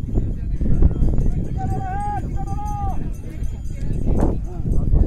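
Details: Hungry Bactrian camel calf at Hunder in the Nubra valley, Ladakh, India, calling as it approaches its mother to suckle: two short, tonal, slightly wavering cries over loud wind and low rumbling noise.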